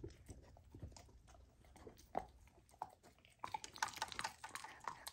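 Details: Lilo, a golden retriever puppy on a raw diet, eats raw lamb for the first time: soft wet chewing and smacking, then a louder run of crunchy bites in the last second and a half.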